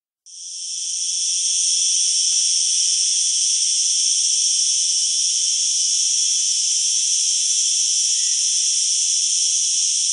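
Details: A cicada, usually heard in trees, gives a loud, powerful, high-pitched buzzing song that runs on almost without a break.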